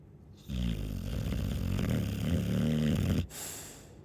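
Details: ['A Chow Chow dog gives one long, loud, rattling snore lasting nearly three seconds, a buzzy vibrating drone, ending in a sharp breathy exhale.']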